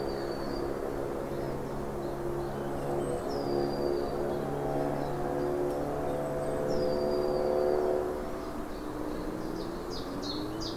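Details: A red-tailed bumblebee (Bombus lapidarius) hums with a low, steady, droning wing buzz while small birds chirp faintly, recorded in late winter on 19 March 2023 at the Beaupré Lalande natural area, Vannes, France.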